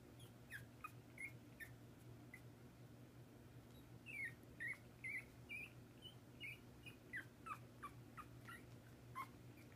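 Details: Pomeranian puppies, 12 days old, kept indoors with their father Haru as he babysits them; thin high squeaks and short whines come in irregular bursts, clustering mid-clip, over a steady low hum.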